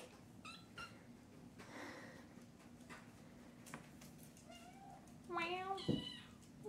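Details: Indoor kittens meow as someone stands and talks to them, eager because they think it is time to eat; a quiet stretch with speech gives way to several short, rising, harmonic meows near the end.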